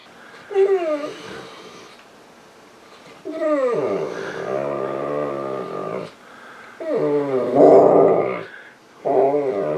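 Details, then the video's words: Misha the female Saint Bernard cries on the couch wanting attention and petting; drawn-out whines that swoop downward in pitch then hold, in three main bursts and a short final one, in a small room. "St Bernard Dog Crying for Attention"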